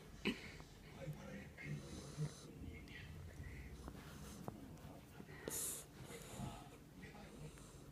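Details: Female Jack Russell Terrier named Kinako snoring while asleep indoors; soft, irregular low rasping breaths and snorts with a few wheezy, higher nasal whistles, over a quiet room background.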